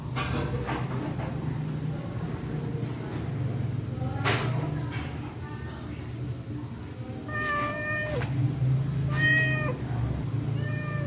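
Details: Hungry pregnant stray cat taking fish in a kitchen, giving several harmonic meows from about seven seconds on, each falling slightly at the end, over a steady low hum and scattered clatter.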